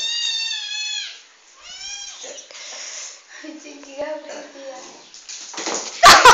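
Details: Aggressive young kitten picking on the household dog: two high, drawn-out harmonic meows open the first two seconds, followed by lower wavering voice-like sounds and a sudden loud noisy burst at the end.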